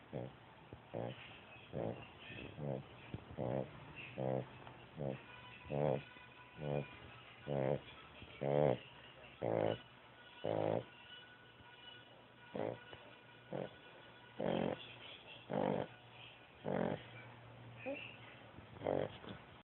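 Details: A dog snores while sleeping on a bed. The breaths are rhythmic and raspy, about one each second, and each rattling snore swells and then fades. Nothing else is heard in the quiet room.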